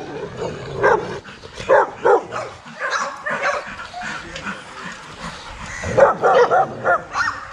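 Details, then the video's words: Several young Rottweilers in a kennel exercise yard bark in irregular bursts, with loud clusters near the start, middle and end. A steady murmur of yard noise runs underneath. "Our young Rottweilers in exercise yard"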